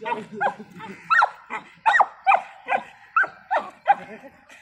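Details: Dogs fighting, an American bully and a beagle; rough snarling growls and short harsh barks in quick irregular bursts, about a dozen over a few seconds.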